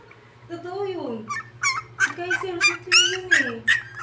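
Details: Whining poodle gives a quick series of shrill, wavering yelps in the second half, after a stretch of human speech in Tagalog.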